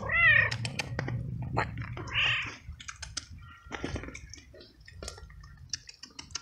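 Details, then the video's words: Hungry young feral cat outdoors at night in heavy rain, giving one clear arching meow then a harsher softer one, followed by clicks, rustles and dripping rain. "Helping And Feeding Meowing Cat in a Rainy Night"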